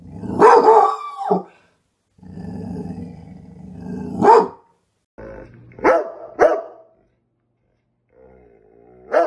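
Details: Rottweiler barking and growling: loud harmonic barks around 1 second long alternate with low rumbling growls, a double bark near the middle and a final bark at the end, with brief silences between.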